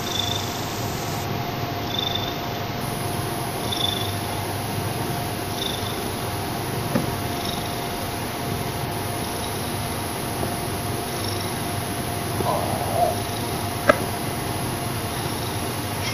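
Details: Parker, a very noisy domestic cat, purring indoors: a steady continuous rumble with a faint constant hum throughout and soft rhythmic breathy bursts recurring roughly every second or two.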